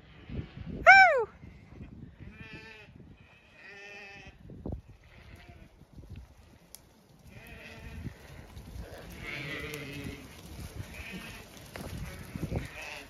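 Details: Zwartbles ewes being called in on a farm in County Kilkenny, Ireland, on a thawed day with no frost; a loud wavering bleat opens, then several shorter bleats from the flock, with footsteps and a woman's calls.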